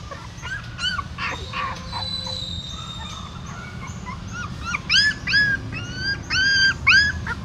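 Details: Newborn-puppy scene at a Siem Reap pagoda, the mother dog carrying her young in her mouth; quiet start, then strong series of loud, arched, high whimpering squeals toward the end over low hum.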